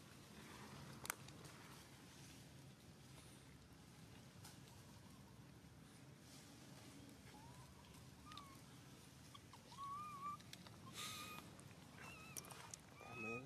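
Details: Baby monkey Suca crying out loudly when grabbed by Susan: thin squeaky wavering cries, several short rising and falling squeals clustered in the second half, over steady background hiss, rustling and clicks.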